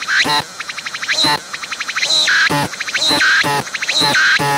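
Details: Close-up of a singing cicada that stayed put when approached; loud repeating phrases roughly every second, a quick ratcheting buzz followed by a swooping squeal, cycling with a steady beat.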